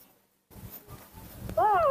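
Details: Nomi, a hand-raised baby monkey, hungry and impatient in the morning, gives one short, clear, tonal squeal that wavers and slides slightly downward with bright overtones, closing the clip after quiet rustling and faint human voices.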